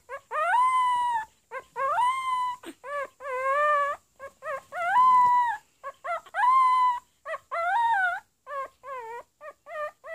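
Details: Pomeranian puppy trying to bark produces a rapid string of drawn-out, tonal, singing yowls that rise and fall in pitch, broken by short yips, with hardly a pause between calls.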